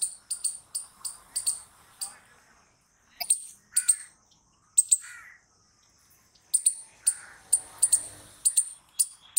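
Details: Squirrel giving loud, sharp, high chirps in quick clusters of three or four, with a short quiet gap midway before rapid chirping resumes; faint lower murmuring sounds in the background.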